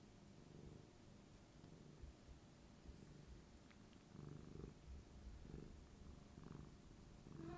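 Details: Tabby cat Rico rubs his owner's knee affectionately, his soft steady purr thrumming low and even, growing slightly stronger in pulsing bursts during the second half.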